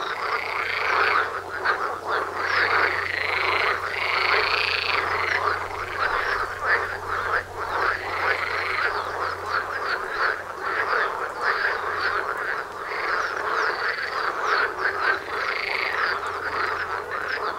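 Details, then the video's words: Frogs croaking en masse right outside a house, a loud ongoing chorus of overlapping rattles with rhythmic swells and brief lulls, a low hum underneath. "Froschkonzert vor der Haustüre"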